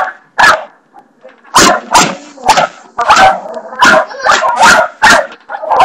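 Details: Indoors, pet dog Barney barks at the bathroom doorstopper in irregular loud bursts, roughly nine harsh barks over six seconds, several drawn out and some coming in quick pairs.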